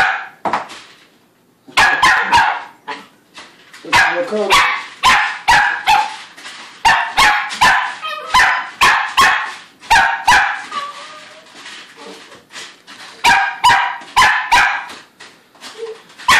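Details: Nearly five-month-old female Sheltie named Lakota barks insistently at feeding time, a rapid run of sharp yapping barks about two or three per second, pausing briefly, with a person's voice faintly heard in between.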